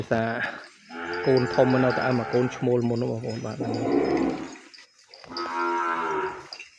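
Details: Penned calf separated from its mother and not allowed near her bawls insistently: long, rich, wavering moos in quick succession, pulsing slightly, followed by a brief pause and another sustained cry.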